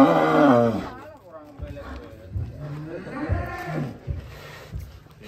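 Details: A fattened bull or cow kept in a pen, said to weigh about 650 kilograms, gives one loud, deep, drawn-out moo lasting under a second. Men talking in Indonesian follow, with faint background noise.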